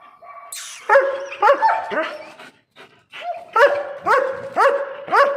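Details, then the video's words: Alsatian dog with a fierce attitude barking in sharp, rising yelps roughly twice a second, a short squeal at the start, a brief pause midway, then a steady series of five more barks. "my alsatian dog so dangers😈attitude"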